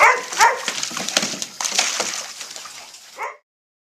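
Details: Playful puppies in a pool, recorded May 15, 2011. High yips and barks come in a quick burst at the start over loud splashing, then one last short yelp before the sound cuts off.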